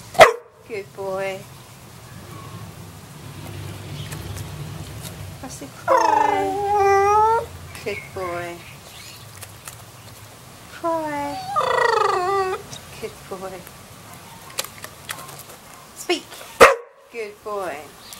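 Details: Buster the Staffordshire Bull Terrier cries on cue, producing two main bouts of wavering, tonal whimpers with shorter whines between them, over a low hum, sharp knocks and indoor movement.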